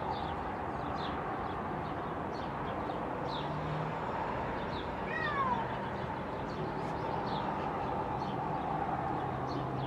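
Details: Domestic cat recorded in June 2020 giving a single short, descending meow midway, set against a steady low hum, faint background noise and scattered high chirps.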